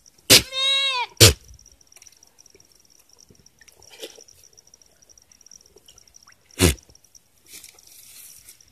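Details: A goat being watered on a farm lets out a single loud, shaky bleat at the start, framed by sharp knocks and clatter, then mostly quiet with another knock later.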